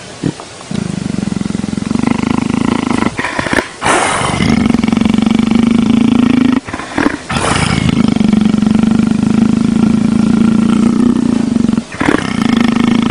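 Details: Leopard rumbling while being petted and enjoying it: long, loud, steady low rumbles lasting several seconds each, broken by brief gaps and short bursts of noise.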